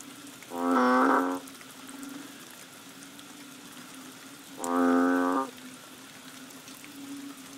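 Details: From the chorus of banded bullfrogs behind a bungalow on Koh Lanta, Thailand, in March rains: two deep, buzzy moo-like calls, each about a second long, spaced roughly four seconds apart above a continuous low hum.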